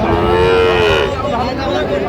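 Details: Sahiwal cattle at a busy Bangladeshi livestock market in Dinajpur district, December 2025; a single long, slightly falling moo lasting about a second, then fading into background chatter and market bustle.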